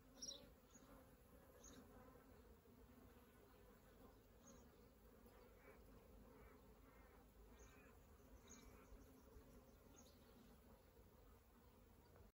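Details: Wild Western honey bees at a hive in an old elm tree at Kyneton on 1 January make a steady, low droning hum of many wings.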